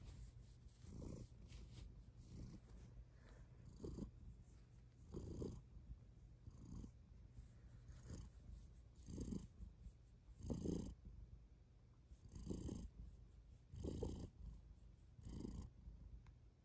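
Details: Loud purring from a female pet cat after lying down on request: deep rumbling purr swelling in breath-paced pulses roughly every second and a half, quiet room, no other sounds.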